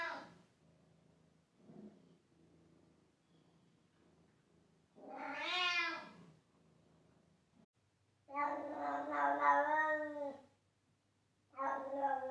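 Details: Pet cat meowing loudly with soft low murmurs at first, then a rising-falling meow, then a long, rough, wavering wail of about two seconds, and the start of another meow.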